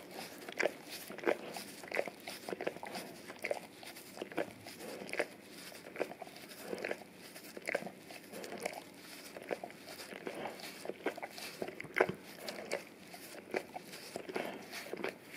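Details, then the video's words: Male English cream golden retriever cleaning his tongue and freshening breath on an Orapup brush covered in peanut butter, taped to tile; crisp wet licks come in clusters roughly every second in a small quiet room. "Dog Licking Orapup Tongue Cleaning Brush Taped Down to the Tile Floor - Golden Retriever"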